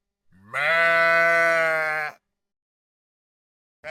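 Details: One long, steady, nasal bleat from a sheep of a field flock, held for about one and a half seconds, then silence and the start of another call.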